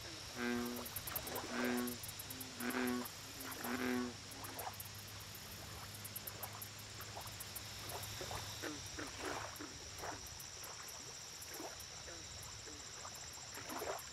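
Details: American bullfrog at a lake: four short, low, harmonic-rich croaking notes about a second apart in the first four seconds, then fainter scattered calls over a steady low hum, with high insect-like ticking throughout.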